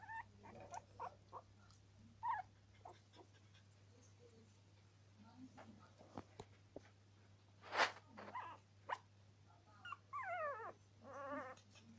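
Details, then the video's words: Norwich Terrier puppies, scattered soft squeaks and whimpers, then a louder burst and wavering, warbling whines near the end, over a constant low electrical hum. "Puppies 2 norwich terrier"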